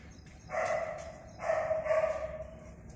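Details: Chow Chow at a kennel in India during training, giving two drawn-out tonal, whining yelps, the second longer and slightly louder, over a low background rumble.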